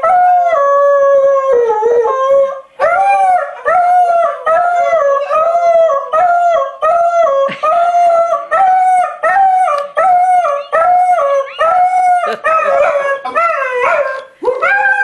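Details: Airedale Terrier singing in a rapid series of short, rising-and-falling howled yelps, roughly one per second, each with bright harmonics, continuing with brief pauses over fifteen seconds.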